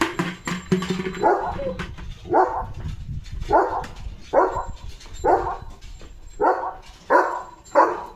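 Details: Leo, a pet German Shepherd being bathed, barks repeatedly, about eight clipped barks coming roughly every seconds-and-a-bit, preceded by clattering and splashing noises.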